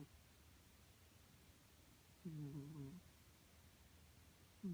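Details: Snoring house cat, one low harmonic breath lasting under a second, then quiet, with the start of another rising snore at the very end.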